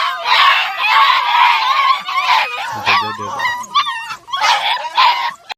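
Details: Several American Foxhound puppies, 47 days old, in Igrejinha, Rio Grande do Sul, Brazil, making noise: overlapping high whines, yelps and wavering howl-like cries in a continuous chorus, with brief pauses and a low grunt midway.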